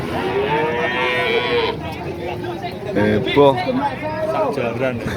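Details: Cattle at the Pahing cattle market in Nganjuk: a clear, sustained moo opens the clip and lasts almost two seconds, then market voices and chatter take over, with brief bursts of talk.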